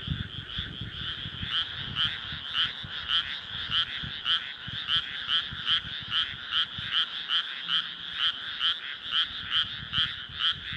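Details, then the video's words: A dense, powerful frog chorus of rapid, pulsing croaks in overlapping rhythm from moonlit rice paddies in Nara Prefecture, Japan, on an early-summer night, 25 May 2024. "初夏の夜、水田と月。カエルの大合唱/SONY α7SIII/リアルタイム星空動画"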